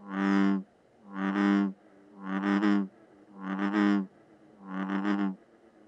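An American bullfrog gives five deep, droning, resonant calls, each about half a second, about one per second.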